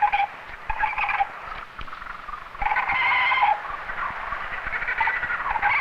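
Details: A young male koala in a tree on an Australian island gives nasal, wavering cries in bursts, a distress call, excited and feeling threatened by people near his tree.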